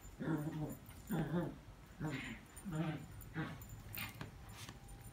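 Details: A Mini Pinscher and a Shih Tzu fighting over a bed: harsh, throaty growl-snarls in about five bursts, roughly one per second, some rising into higher yelping snaps, over room noise.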